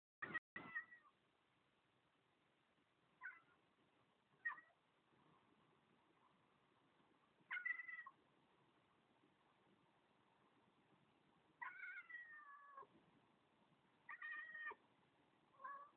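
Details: Domestic cat looking out a window and 'talking': short chirping trills and brief meows in scattered bursts, one longer wavering meow near the end, otherwise quiet room.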